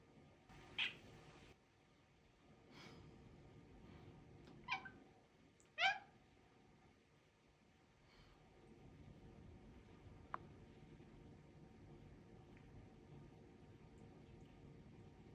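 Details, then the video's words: British Shorthair cat, said to be teaching words, gives a few short, sharp meows, the clearest near the first second and again around five to six seconds, in an otherwise quiet room with a soft low hum. "말 알려주는 고영희님"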